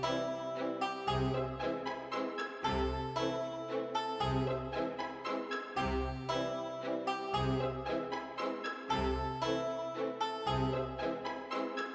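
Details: Light plucked keyboard music, harpsichord-like, plays in a steady repeating phrase about every one and a half seconds, with no animal sound.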